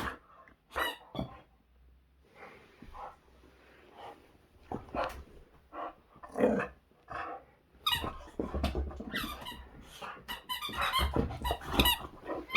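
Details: Boxer dog indoors, full of energy while playing with a squeaky toy: bursts of rough growls and short barks mixed with squeaks, growing louder and denser toward the end.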